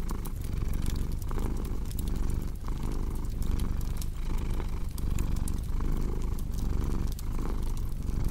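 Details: Low, throbbing purr from a cat, rising and falling in regular breath-linked waves, accompanied by scattered bright snaps of burning logs in a fireplace.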